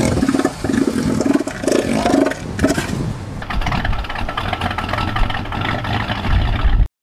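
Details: A male northern elephant seal gives a deep, rattling clatter of rapid low pulses, like an idling engine, for about seven seconds; big males use such calls to show rival beta males they control the females.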